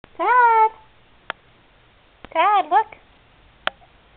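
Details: Todd, a male kitten awaiting adoption through the ICARe rescue, meows while being offered a treat: a drawn-out, slightly wavering meow, a short pause, then a quick pair of bending meows, with a few sharp clicks between.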